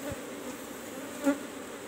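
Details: Asian honey bees (Apis cerana) in cultivation hive box number 17 during a honey harvest: a steady low droning hum with a faint higher overtone, and a brief soft knock near the start.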